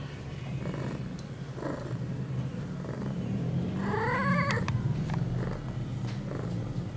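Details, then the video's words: Eight-month-old female cat Pia calling while in heat, September 23, 2011, two hours after her first birth control pill; a continuous low purring rumble carries one loud wavering yowl with rippling tone near the middle. "Pia on heat."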